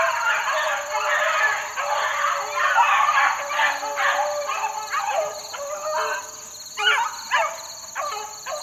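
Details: Four-month-old Beagle pups worked outdoors in the wild on a dry morning; overlapping yelping howls from several young dogs, turning into short, separate barks near the end, with a constant high-pitched hum behind.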